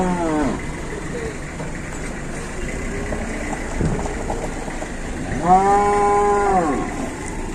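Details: Jumbo cattle at an Indonesian livestock market as two large animals arrive by truck; a short falling moo at the start, then a long, level, richly harmonic moo lasting over a second, over steady crowd and engine murmur.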